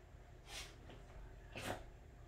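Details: Pet Welsh Corgi indoors at home when feeling its best, making two sharp breathy snorts about a second apart, each a brief hissing puff of air, over a quiet room background.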